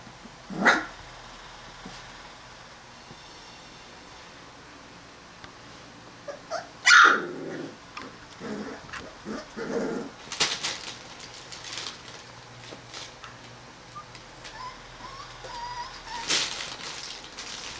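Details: 21-day-old Rottweiler puppies from a litter give a few sharp, high yelps amid soft rustling and shuffling.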